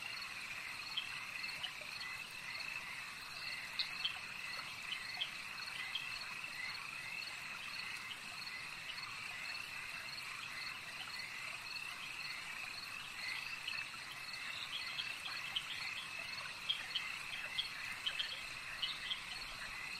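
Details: Many frogs at a lake keep up a continuous shrill trilling chorus, with scattered quick chirps standing out now and then above an even background buzz.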